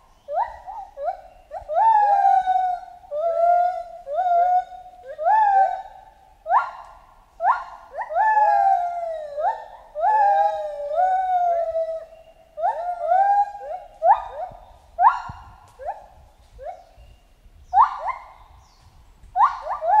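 A chimpanzee gives a rapid run of tonal hoots that swoop up and down, repeated in bursts.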